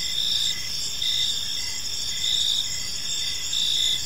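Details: Park crickets chirping at evening: bright, high ringing trills repeat in pulses about every half to one second over a constant shimmering chorus and faint low background.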